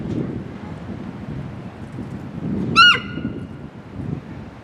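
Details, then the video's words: Amanda, a 15-year-old female Hokkaido sika deer at Sapporo Maruyama Zoo, gives a loud warning call on 20 April 2026 after suddenly becoming alert. A single sharp, high squeal that drops briefly in pitch, over steady wind rumble. "エゾシカが突然警戒！周囲に響いた謎の鳴き声〜The Hokkaido deer is making a warning noise"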